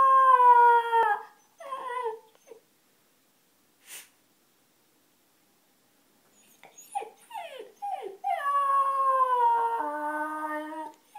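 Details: An 8-week-old Alaskan Malamute puppy gives thin, high-pitched howls that waver and slide between notes.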